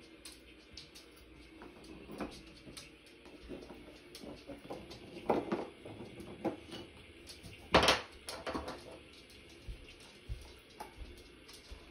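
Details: Quiet indoor room tone with scattered clicks and clatters like dishes and cupboards, and no animal voice.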